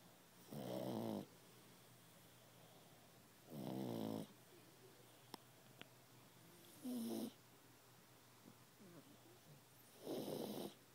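A sleeping pug snores with a throaty, rattling buzz on each breath in. The snorts come in steady, evenly spaced bursts about three seconds apart, with quiet stretches between them.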